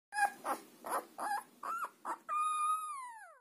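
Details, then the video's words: Grand Basset Griffon Vendéen puppies born in a kennel in Russia, their first songs: a string of short yelping whimpers, then one clear, long, high howl held steady before sliding down at the end. "Первые песни/Большой Вандейский Бассет Гриффон/Grand Basset Griffon Vendeen/Щенки/Puppy"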